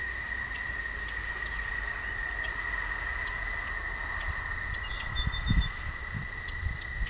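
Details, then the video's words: Singing toads on a walking path after dark give a sustained, level high trill without pause, overlaid by a short run of bird chirps and a few soft low thumps toward the end. "Singing Toads"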